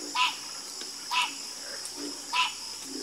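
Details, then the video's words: A chorus of croaking frogs. Three sharp, ringing croaks come about a second apart, with quieter low croaks in the gaps, over a constant high-pitched hiss. "Calming Sound Of Harmonious Frog Croaking"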